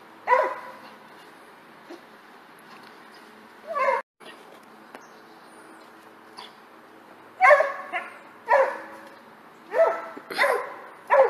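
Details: Lone dog, filmed jumping, gives an early bark and another near four seconds, then a lively series of five quick, sharp yelping barks toward the end, over a soft constant hum.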